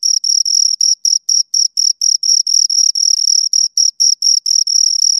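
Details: Two crickets chirping: a steady run of short, high, shrill pulses, roughly four per second, each bright and ringing with a fainter overtone above, in an otherwise silent background.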